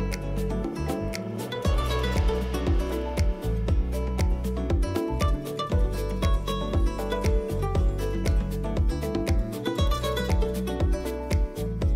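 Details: Rhythmic, brightly strummed acoustic guitar music with sharp repeated beats fills the whole stretch, and no animal can be heard.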